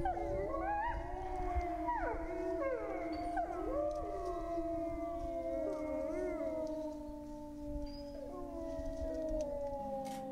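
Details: Grey wolves of France howling together: overlapping drawn-out howls, some swooping sharply up and down in short yips near the start, others sustained and level, forming a dense wavering chorus.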